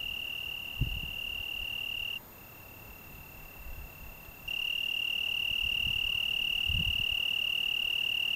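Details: Italian tree cricket singing on a June 2010 evening in the Algarve, Portugal: a steady, high pure trill, unbroken for about two seconds, then much quieter for two more, then loud and continuous again; faint low thumps beneath.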